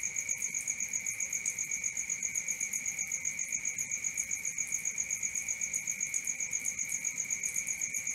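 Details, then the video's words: Night crickets chirp in a fast, even pulse of roughly four beats a second, layered on a constant lower ringing tone, with no other sounds standing out. "Cricket 1 hour for Sleeping & Relaxation, Black Screen, ASMR, Dark Screen Nature Sounds"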